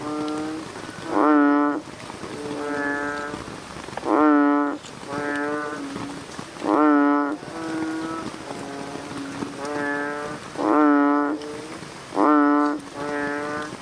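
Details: American bullfrogs at night calling in turns: loud, buzzy, harmonic calls around half a second long alternate with quieter distant replies, a steady back-and-forth rhythm over a constant low chorus.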